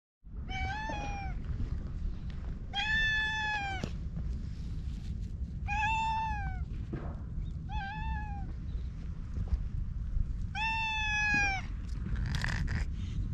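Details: Ginger tabby cat, filmed on a GoPro HERO8, talking in cat language while rubbing against a person and being groomed with a brush: five drawn-out, clear meows spaced roughly two seconds apart over low rumbling outdoor background noise.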